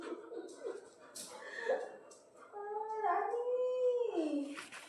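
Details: Rani, a pet Labrador Retriever, gives short whiny yelps, then a sustained tonal howl that rises and falls before fading, while a woman speaks and calls to her.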